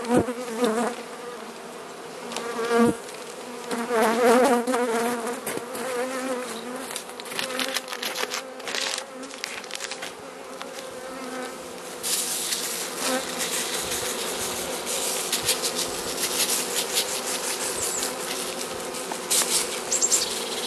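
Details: Hive of Carniolan honey bees receiving Mountain Camp feeding in Southern Finland on 16 March 2017 at +3 °C, with the queen present; a droning, slightly tonal hum that swells and fades, plus rustling, scraping and brief knocks.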